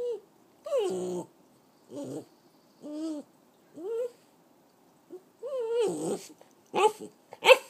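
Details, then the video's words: Italian Greyhound Chihuahua mix, a 3-year-old female dog kept as a pet, making silly noises: a series of short whining, yelping vocalisations with bending pitch, in bursts about once a second, ending in louder sharper yelps. "Italian Greyhound Chihuahua Mix - Making silly noise!"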